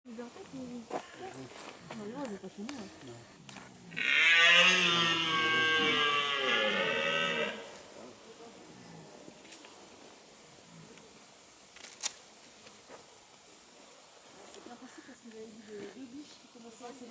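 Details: At Parc de Sainte Croix, a red deer (Cervus elaphus) stag in the breeding-season rut gives a single drawn-out, harsh, wavering rutting bellow.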